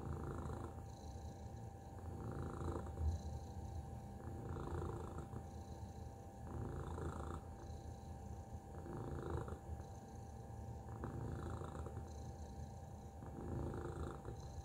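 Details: Tacy, a pet cat, purrs in a deep, continuous low rumble that swells and eases in soft rhythmic waves across the whole stretch, with a faint steady electrical tone in the background.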